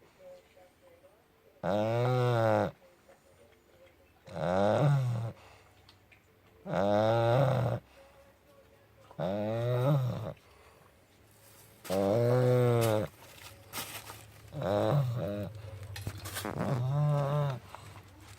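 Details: Puppy in deep sleep giving loud, throaty snores, seven long buzzing breaths roughly every two and a half seconds, the later ones choppier with a brief snort, indoors and otherwise quiet.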